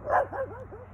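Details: Dog barking at an elk: one short, sharp yip followed by quick wavering whiny notes that rise and fall in a few arcs.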